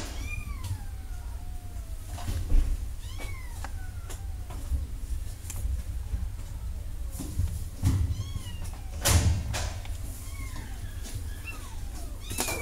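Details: Kittens meow repeatedly: a string of high, thin mews, each starting sharply and sliding downward, some overlapping, spaced a second or two apart, with knocks, a cupboard-like bang, and steady low hum behind.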